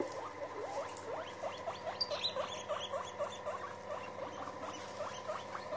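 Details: Guinea pigs meeting in a group: rapid repeated short upward-sweeping chirps, several each second, continuing evenly over a constant background hum.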